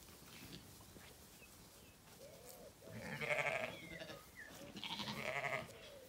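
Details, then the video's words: Zwartbles ewes in an orchard on a farm in County Kilkenny, Ireland, calling at feeding time on a sunny day: two moderately loud wavering bleats in the second half over a faint background of distant bird calls. "Dinner bell rings, ewes call"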